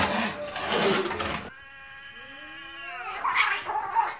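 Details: Cats fighting for territory: after a burst of broadband scuffling noise, a drawn-out harmonic yowl slides downward, then rises into a louder wavering caterwaul near the end.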